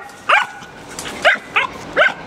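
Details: Shelter dogs at Jackson, Tennessee rabies control give five short, sharp barks spaced about a third to half a second apart, rising and falling yips over quiet background.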